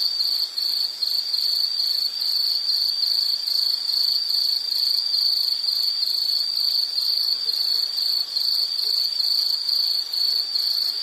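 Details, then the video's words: A calling insect, offered as calming nature sound, keeps up a piercing high trill chopped into quick regular pulses, a little over two per second, for the whole stretch against a soft hiss. "Sound · Nature Sound of nature sounds scenery L · insect"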